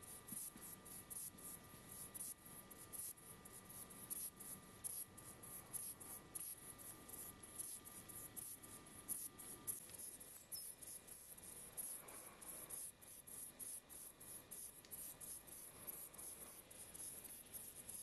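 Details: A saddle-backed bush cricket (Ephippiger ephippiger) sings in short, dry, hissing chirps repeated at an uneven pace.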